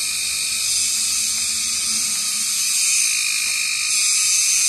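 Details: A large blue cicada-like insect, called kagang and bigger than a cricket, gives a continuous, high-pitched electric buzz from tall trees at 6 pm in summer, calling to attract mates, according to the owner's reading.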